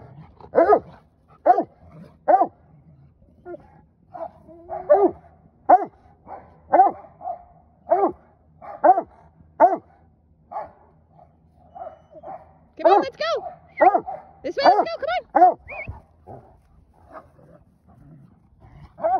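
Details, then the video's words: Playful Old English Sheepdogs, Wallace and Gustavo, on a flower farm, barking during rough play with Bee, a rescue dog; steady bursts of mid-pitched barks, then higher yelping and whining barks in the middle. "Barking Old English Sheepdogs"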